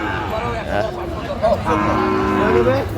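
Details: A Sahiwal bull at a cattle market in Natore, Bangladesh, lowing in a drawn-out, wavering moo amid steady crowd chatter and market noise.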